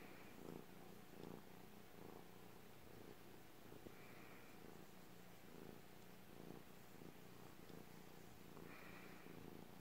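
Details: Soft, deep purr from a house cat, rhythmic pulses of low rumble rising and falling with each breath about once a second, with a faint hiss of room noise behind.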